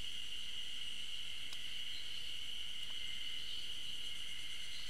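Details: Ezo spring cicadas singing on 15 June 2012 along a forest trail at the Tokyo University of Agriculture Okhotsk campus, heard but unseen: a steady, high, shimmering drone with faint pulsing overtones and two soft clicks, running unbroken throughout.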